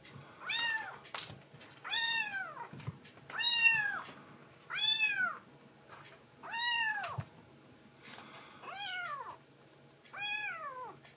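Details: High, arched meows from a foster-care rescue kitten, a tuxedo baby cat calling to its mother after a night-time milk feed; seven clear mews repeated roughly every one and a half seconds, each rising then falling, indoors and quiet.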